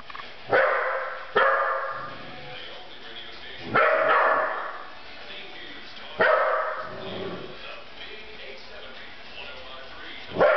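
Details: Pet dog barking at someone: single sharp barks spaced a few seconds apart, loud and noisy, with a woman speaking in between.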